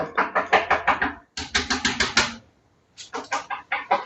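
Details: A dog in a training session about curing a barking problem lets out rapid volleys of sharp, harsh barks, about six a second, in three runs broken by brief pauses.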